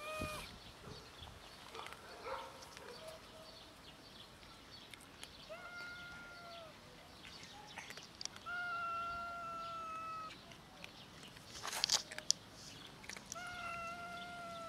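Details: Hungry street cats met often outdoors, meowing from hunger: several drawn-out, level harmonic meows spaced a few seconds apart, with a brief buzzy burst of insect-like noise and faint background sounds.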